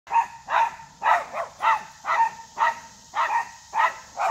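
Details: Three dogs barking at a deer that stays unfazed; sharp, mid-pitched barks repeated about twice a second, some doubled, with a steady high hiss in the background.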